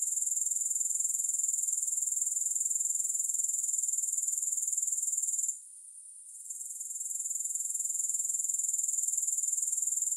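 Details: Shrill continuous insect buzzing from grasshoppers, recorded without music. The thin high-pitched whirr is made of rapid, evenly spaced pulses. It holds steady for over five seconds, briefly fades to near silence, then swells back to full strength.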